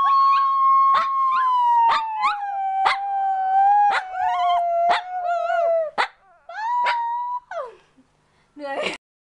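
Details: A Shih Tzu pup being taught to howl gives a long, thin howl that slowly sinks in pitch, broken by short yips.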